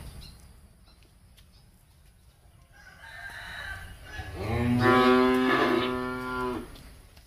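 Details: Breeding cattle (BBB, Angus, Charolais, Brahman) on a farm in Ba Tri; after several seconds of low background noise a single strong, rich moo rises and holds for about two seconds before fading.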